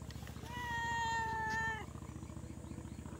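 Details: Cat hunting for prey gives one drawn-out, level meow lasting under a second and a half, clear and tonal, over a steady rhythmic mechanical hum like a running engine.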